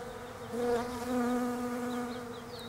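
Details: European honey bees foraging on Desert Ash flowers in autumn in Australia; a close bee passes with a steady droning hum that swells and fades over about two seconds, faint bird chirps behind.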